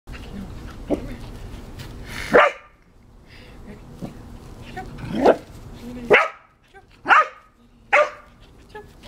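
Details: Two Cardigan Welsh Corgi dogs at play indoors, one trying to jump over the other: sharp, loud barks come singly every second or so, with a busier stretch after five seconds and quiet shuffling between them.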